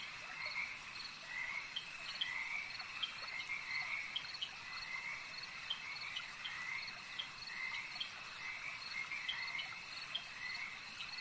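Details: Frogs calling at a lake, many voices together: a constant high trill beneath repeated short upswept chirps about every second, with sharp clicking notes sprinkled through a busy nocturnal chorus.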